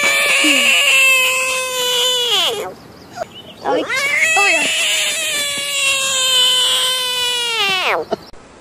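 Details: Screaming frog in a compilation: two drawn-out, nasal, harmonic wails, the first about two and a half seconds, the second nearly four seconds, each ending in a steep downward drop, with a short squeak between them.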